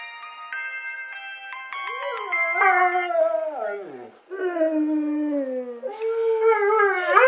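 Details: Siberian huskies Hokuto and Kenta in Shikoku, Japan, howling together in response to a mobile phone ringtone: a beeping electronic melody opens, then long wavering howls slide downward, overlapping in a chorus as the ringtone continues.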